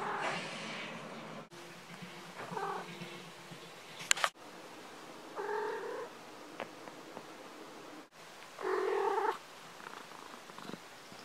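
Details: Female pet cat chirruping when startled or woken from a nap: short trilled chirrups repeated a few seconds apart, several brief rolling bursts, separated by abrupt cuts between takes and quiet room hiss.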